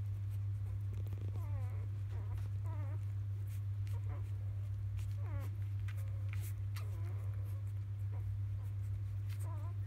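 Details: Newborn field-type Labrador Retriever puppies, three days old, nursing in the evening from their mother biscuit; a busy stream of thin, wavering squeaks and whimpers with soft rustling and a constant low hum beneath.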